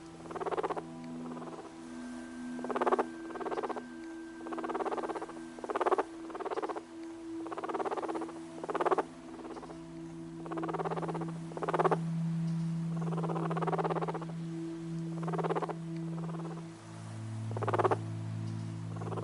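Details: A guinea pig purrs, usually a sign of contentment or relaxation, in short, rumbling bursts over a steady low hum.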